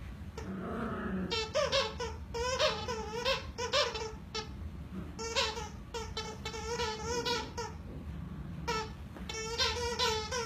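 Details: Two happy Schnauzer puppies at play indoors, giving rapid bursts of high, squeaky yelps and yips in quick clusters, with brief pauses between runs.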